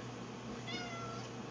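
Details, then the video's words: Pet cat meowing in a dim pantry by the food bowls while waiting to be fed; a single faint, thin meow that falls slightly in pitch, over a steady low hum and background hiss. "Edward says, "Feed me!""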